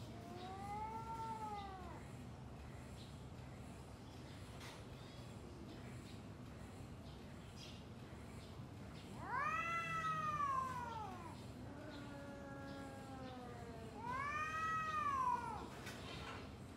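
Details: Domestic cats vocalising before a fight: a rising-falling yowl, a long lull with steady low hum, then two louder, harsher wails with a lower moan between them.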